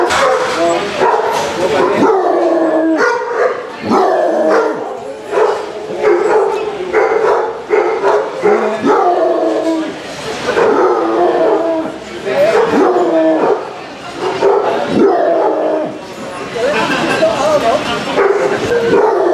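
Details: Basset Hounds, one of 36 on a four-mile walk along Burnham Beach, Somerset, in February on a wet, cold, windy day, giving repeated deep baying barks and drawn-out howls from several dogs at once, irregular and overlapping.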